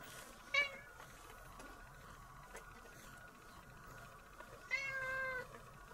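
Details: Pet cat being brushed at home gives two brief meows, a short one early and a longer falling meow near five seconds, over quiet room hum and soft brushing noises.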